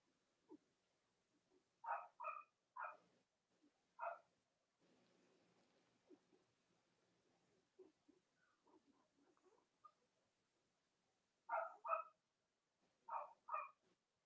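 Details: Cavalier King Charles Spaniel puppies belonging to the mothers Robin and Myra, filmed live one chilly Monday morning: bursts of paired high squeals, a short rustling noise and soft murmurs in the middle, then more squealing.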